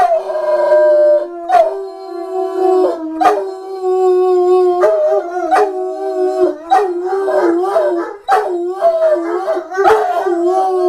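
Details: A dog howling. Sustained, layered tones are held for several seconds at a time. They are broken by sharp clicks and short yodelling wobbles, and each howl ends with a slight downward slide.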